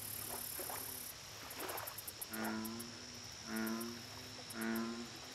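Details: Lakeside American bullfrog giving three low, resonant, rich-toned croaks, spaced about a second apart and each lasting under a second. Earlier faint calls, continuous hiss and fast high clicking fill the background.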